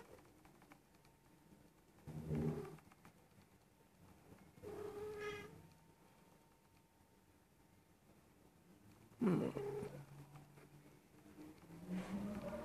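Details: A nearly one-year-old female Persian cat in heat, indoors, gives drawn-out, low, moaning meows with rich harmonics. Four calls come a few seconds apart, some wavering and sliding in pitch, with quiet room noise between them.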